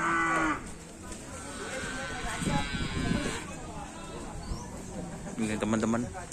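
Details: Madura cattle at a karapan sapi bull race on Madura, just after the rain has stopped: a low, harmonic-rich moo rises near the end, amid crowd chatter, a brief high tonal sound at the start and general outdoor noise.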